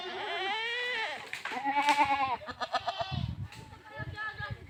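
Goats bleat in loud, wavering, nasal cries, with a person talking in the background.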